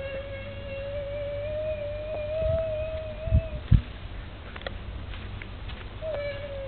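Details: A little camel gives a sustained, slightly wavering tonal cry of about three seconds. A couple of soft thumps follow, then a fresh cry starts near the end, over a steady low hum.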